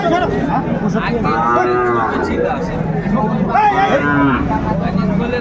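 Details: Young Sahiwal bull calves being haggled over at Ambari market, 31 January 2025, aged six to eight months. Two drawn-out, tonal moos arrive a couple of seconds apart over busy outdoor hubbub and voices.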